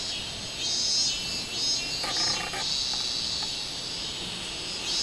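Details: Robust cicada, 24 July 2016, producing a dense, high, buzzing drone with only faint pulsing, joined midway by a brief sharper clattering burst.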